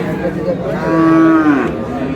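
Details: Cow at Ambari livestock market in Dinajpur, Bangladesh, among cows offered for sale with their calves: one long, steady mid-pitched moo of about a second, level then dipping at the end, with market chatter and voices behind.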